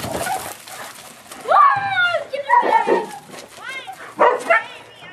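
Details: Walter, a 9-month-old Boxer puppy, yipping for joy just after being let out of his kennel when his family comes home: high, arching yips and whiny squeals in short bursts, mixed with people talking.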